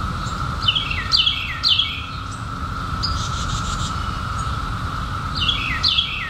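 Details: A continuous, even cicada hum from the 2021 emergence of periodical cicadas after 17 years, with short clusters of sharp, descending bird chirps near the start and again near the end.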